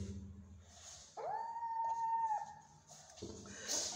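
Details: Cat from a household where a mother cat, not full after eating, is not nursing her kittens; one long, steady, level meow lasting over a second, with quiet human talk before and after.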